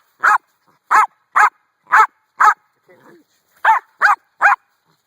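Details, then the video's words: Dog barking at a rock. Eight loud, clipped barks come roughly every half second, broken by a brief quiet gap and a faint low grumble, with a person talking around them. "barking at the rock"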